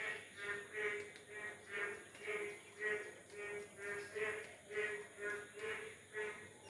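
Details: Many frogs, including large ones of various kinds, calling from one area, said to call when rain is absent to bring it; steady rhythmic croaks repeat about every 0.6 seconds, roughly eleven pulses, each bright and harmonic-rich over a continuous background hum.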